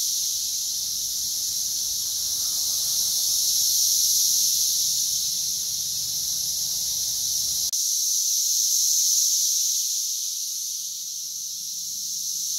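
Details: Periodical cicadas of Brood X, June 2021 in West Virginia, insects everywhere and loud, roughly 85 dB: continuous piercing high drone rising and ebbing, with low rumbling background that drops away partway through.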